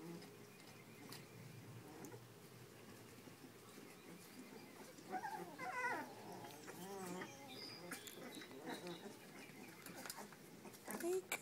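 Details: Puppies giving wavering, high-pitched whines and yelps, clustered in the middle and again near the end, among rustling and shuffling noises.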